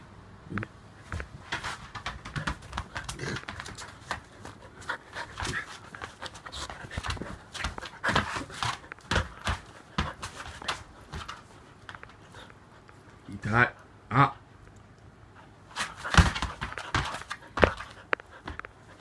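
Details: A Siberian husky waking its owner in the morning, pulling off the bedding and biting, pants in quick, rough breaths with scuffling thumps and gives a few short, rising nasal whines; finding: Siberian husky.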